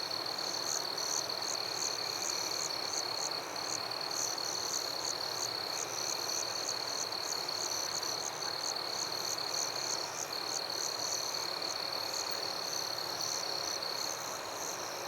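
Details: Forest at night alive with crickets and other insects, producing an unbroken shrill tone plus fast, evenly spaced chirps just above it, several each second, layered over a continuous thick buzz of the wider insect chorus.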